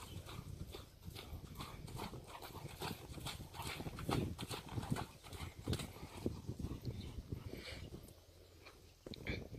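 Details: Sierd, a Friesian horse imported to North America, keeps up a busy patter of hoof strikes, dense and irregular, with heavier thuds around the middle and a brief quieter lull near the end.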